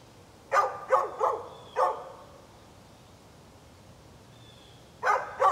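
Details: A neighbour's dog barks in bursts on 11-13-2020: four quick barks within the first two seconds, nearly three seconds of quiet with faint hiss, then two more barks close together near the end.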